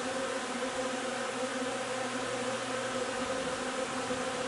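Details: Beehive of honey bees foraging on linden nectar on 3 June, giving a constant low droning buzz with steady harmonic layers and no breaks.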